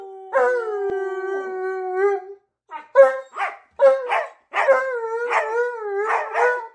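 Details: Pet dogs howling along while their owner sings "You Are My Sunshine" during a cuddle; long sustained tonal howls, then a run of short rising yelps and a final wavering howl.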